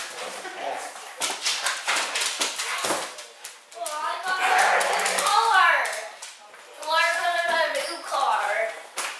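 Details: Mishka, a talking Siberian Husky, indoors at home on a Saturday morning: two long wavering, yodel-like vocalizations with rising and falling pitch, after an opening stretch of human talking and household clatter.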